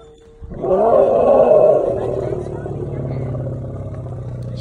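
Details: Elephant mother giving a warning roar while protecting her baby from cars: a loud, harsh, tonal blast that swells for about a second, then settles into a long, steady low rumble, with faint voices nearby.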